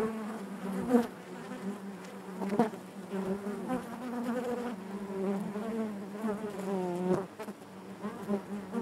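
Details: Natural buzzing of honey bees within the hive, a constant low drone overlaid with wavering, pitch-bending buzzes of single bees flying near, punctuated by a few short sharp clicks.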